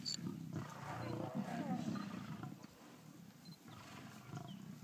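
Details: Lions feeding on a young buffalo, low throaty growling rumbles pulsing rapidly, while a man comments softly in the background.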